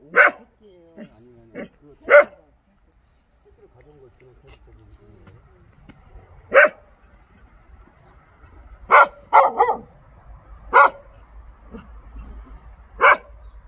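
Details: Pungsan dog barking while hunting: short, sharp barks come singly and in a quick cluster of three around nine seconds in, spread irregularly over the stretch, with faint low rumbling in the background.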